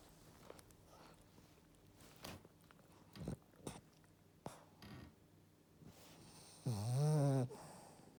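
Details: Matsuri, an eleven-year-old female French Bulldog, sleeps deeply during an afternoon nap following a walk, giving one strong, rumbling, rising snore after several quiet clicks and breathy rustles indoors.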